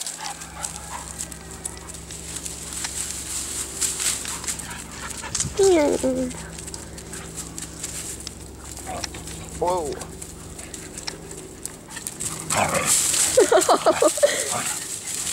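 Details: Beagle puppies Daisy and Buddy on a play date, wrestling together; short rising-and-falling whiny growls burst out in three separate bouts, the last a quick run of stacked yips, over a steady low hum, scuffling and a woman talking gently.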